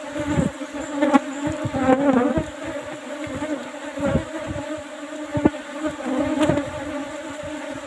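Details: Asian honey bees, Apis cerana, in an old box hive covered with used asbestos sheet, disturbed during a honey harvest; a strong, wavering hum swelling and fading, with repeated thumps and rustling handling noises throughout.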